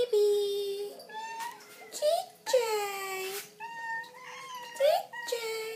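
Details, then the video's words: Hungry Persian and Siamese cats waiting for food, calling in long sustained meows that start high and sag downward, with shorter rising cries in between, about one call every two seconds. "Persian & Siamese Cats waiting for their food."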